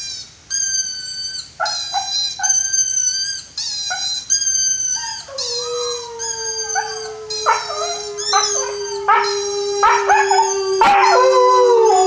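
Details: A 5-month-old white Siberian Husky howls in long, wavering tones that bend in pitch, broken by yips and whimpers, then a steady held note slides lower toward the end.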